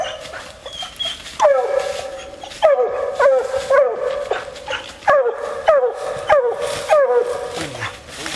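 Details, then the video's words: Barks from a female Bluetick Coonhound on a coon hunt: ringing, downward-sliding notes arriving in irregular bursts after a quieter, noisy opening, with brief gaps between clusters. "Coon Hunting With A Bluetick Hound"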